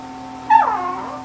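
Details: Shih Tzu named Ggung giving one short, high whimpering whine that slides steeply downward and then trails off, over a steady low electrical hum.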